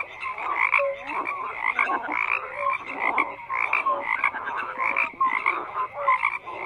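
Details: Frogs croaking in a dense chorus, many overlapping calls stacked between low and high pitch, short tonal notes and raspy bursts repeating roughly every half second with no pause.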